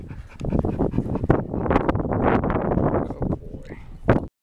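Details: Six-year-old male Pit Bull kept as a pet: rough, breathy grumbling and panting runs almost without a break for about four seconds, then ends in a short, higher whine.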